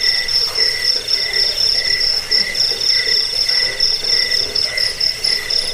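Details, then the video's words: Crickets used as a rat repellent, sleep aid and song tutor for birds, giving quick, regular shrill chirps, roughly three or four per second, layered over a steady piercing high whine. "Suara jangkik pengusir tikus pengantar tidur"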